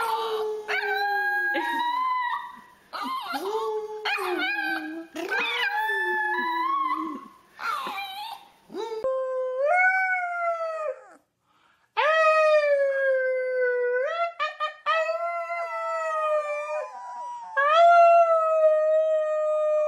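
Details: Puppies howling: choppy, wavering yips and falling notes early, then long, sustained rising howls with strong harmonics held for several seconds.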